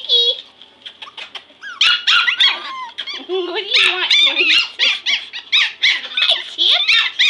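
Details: Playing Pomeranian puppies, a litter of five, indoors on the floor. Thin squeaks and sharp yaps tumble over one another in fast, uneven bursts, several per second, with a few lower whining slides mixed in.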